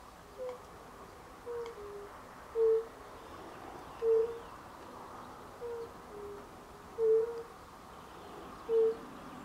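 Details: Late March 2024 chorus of European fire-bellied toads: mellow, hollow single 'oop' notes, some louder and some fainter as though from different distances, spaced irregularly about a second apart over a quiet background hiss.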